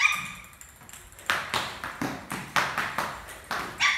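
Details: A playful, attention-seeking Lhasa Apso puppy playing "doggy cricket" gives a string of short, high, sharp yips at uneven intervals.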